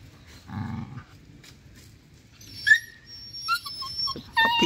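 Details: Happy stray dogs at play, a friendly puppy among them, give short whimpers and thin high yips. A low grumble opens, then several brief squeaky cries follow in quick succession over faint outdoor background noise.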